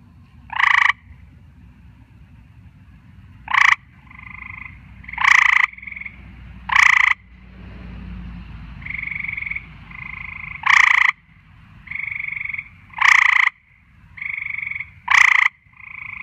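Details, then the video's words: Frogs calling at night, loud broadband croaks bursting every one to three seconds over a steady softer two-part trill that fills the gaps, with low rumbling noise underneath. "Nighttime Frog Performance"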